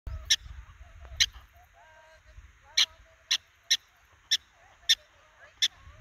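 A groundhog gives short, sharp, high squeaks at uneven intervals of roughly half a second to a second.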